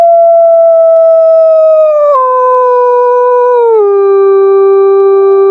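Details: A wolf howls at night, a long, pure-toned howl held steady and then stepping down in pitch twice.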